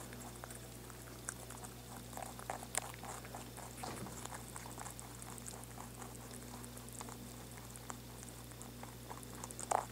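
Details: Rabbit chewing indoors, steady rapid dry crunching clicks several times a second throughout, with a constant low electrical hum underneath and a louder crackle near the end.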